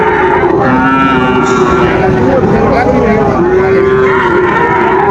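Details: Sahiwal bull calves at Raniganj cattle market, Dinajpur, on 15 August 2024: long, steady low moos that overlap and hold for several seconds, one ending in a slight rise, over dense crowd chatter and traffic noise.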